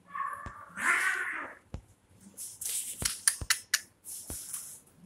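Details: Kittens fighting with each other: a drawn-out harmonic meow rising then falling over about a second and a half, followed by scuffling, thumps and sharp clicking knocks of play.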